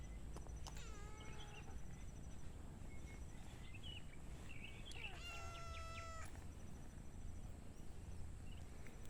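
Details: Tiny kittens and cats playing outdoors, four animals in all; several thin, high kitten mews come in two bursts, a short pair early and a longer run of clear, tonal meows midway, over steady background hiss.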